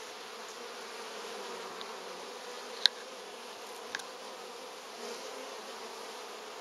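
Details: Honey bees at hive number 3 in August, carrying pollen and building stores; a steady, even, broadband hum of many bees with a few faint sharp clicks near the middle.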